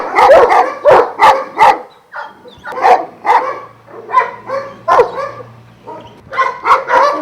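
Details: Several Šarplaninac dogs from a Vujanski-line kennel in Jasika near Kruševac bark in quick clustered volleys, some higher yelping notes mixed in, a short lull midway, with a faint low steady hum beneath.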